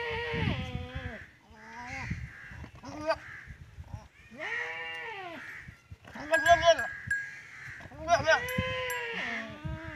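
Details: Teddy goat with a female goat during their first mating, in a village in Punjab, Pakistan; wavering, nasal bleats rise and fall in bursts every couple of seconds, mixed with human voices and laughter.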